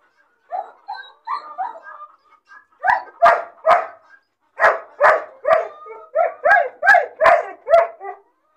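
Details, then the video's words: Lonely, bored puppy caged alone, crying when it sees other dogs playing outside: soft high whimpers first, then a run of sharp yelping barks, about two per second, ending in quieter whines. "Puppy crying and barking sound , loneliness and bored puppy cries"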